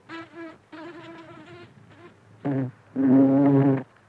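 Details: Buff-tailed bumblebee (Bombus terrestris) at flowers, heard close up: a few short, wobbling buzzes, then two louder, steadier low drones, the last lasting almost a second.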